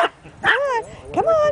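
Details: Two dogs, a chihuahua and a Bichon, playing together; short high yips with falling and rising whistly tones, a person urging them on with "come on" between calls.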